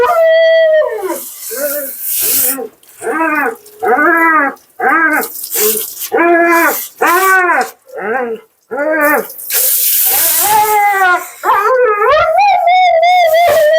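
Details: Talkative Siberian Husky Mila in the bath at her second groom, giving a run of short arched yowls about one per second, each rising then falling, ending in a longer wavering whine, with bursts of running water between.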